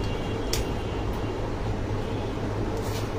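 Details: Steady low engine rumble throughout, with two brief hissing bursts near the start and end, and no animal voice.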